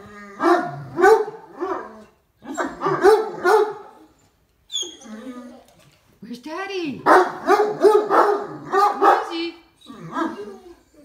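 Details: Two excited Great Danes bark a greeting as their owner arrives home, their deep, harmonic woofs and whining yelps coming in bursts, with a person's voice mixed in and a short pause midway.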